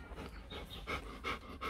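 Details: Newborn Rottweiler puppies at four days old, offspring of Loki Gervi and Faye, giving short, thin squeaky whimpers repeated about every third of a second amid breathy puffing and low room rumble.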